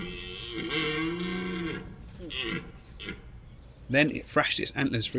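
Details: Large red stag in Richmond Park woodland during the rut, bellowing after thrashing in bracken: a low, strained, harmonic groan lasting about two seconds, then shorter rough grunts, followed by sharp broadband clattering sounds.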